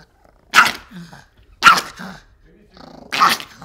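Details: Angry Pomeranian dog reacting to getting a bath: three sharp, loud barks about a second apart, each followed by a softer low grumble.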